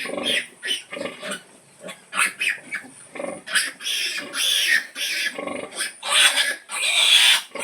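Pigs give a rapid run of short, harsh squeals and grunts, a sow calling her piglets to feed.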